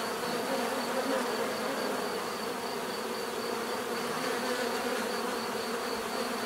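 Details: Continuous natural buzzing of many bees, an even droning hum with stacked tones and a thin pulsing high note above, holding level for the whole stretch.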